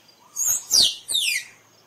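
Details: Squirrel giving three sharp, high, squealing notes in quick succession, each sliding quickly downward, with a faint hiss behind.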